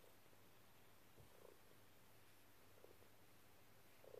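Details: Pet cat Dexter, curled on a lap and kneading, purrs with a deep even rumble, and faint chirpy bursts rise over it now and then.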